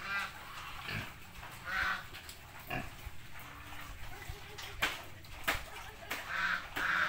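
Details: Pig in the countryside giving short, harsh squealing grunts in bursts roughly once a second, some louder and higher than others, with sharp knocks and clatter in between and a low background rumble.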